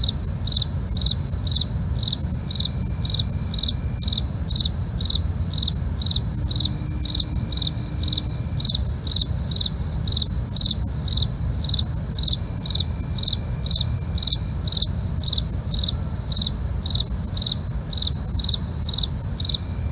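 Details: Night crickets chirping in regular short pulses, roughly two per second, layered on a constant shrill trill, with low-pitched background rumble and an occasional faint thin tone.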